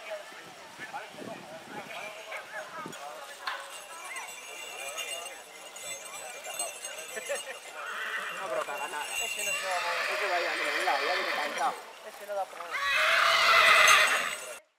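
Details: Purebred horse in spring, with people talking and faint hoof clops at first, then several wavering, shaky whinnies building in loudness over the last seconds, the final one loudest before an abrupt stop.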